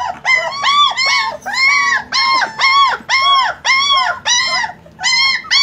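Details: German Shepherd puppies whining in a rapid series of high, arched whimpers, each rising then falling, about two per second, loud and clear with little background.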